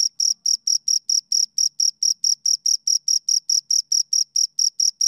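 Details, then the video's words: Two crickets chirping: steady, high, shrill chirps repeated about four times a second, each a short pure tone with a fainter overtone above, evenly spaced throughout with no other sounds. "Two Crickets Chirp Sounds"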